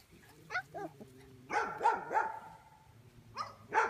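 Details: Five-week-old Belgian Malinois puppies at a breeding kennel. Short, arching, whiny yips come in a quick run of four, followed by a brief pause and two more, over faint background noise.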